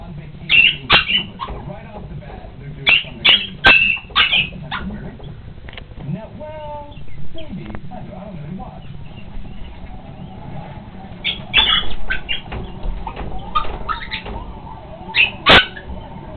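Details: A Chihuahua freaks out at its own reflection in a mirror, giving shrill, high yaps in quick clusters of two or three with pauses between bursts.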